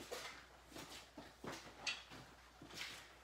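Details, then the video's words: Seven Labrador retriever puppies indoors on a messy morning, snarling, playing and barking; short sharp yappy barks come in quick bursts about twice a second, with a faint room hum underneath. "Snarling Playing and Barking! Lab Puppies Messy Morning"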